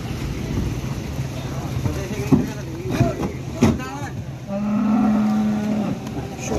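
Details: Big Limousin cattle unloaded late and sprayed with disinfectant at a farm on the slopes of Mount Merbabu, Boyolali, Central Java; a long, flat, low moo near the end, preceded by knocks and clatter, with music playing.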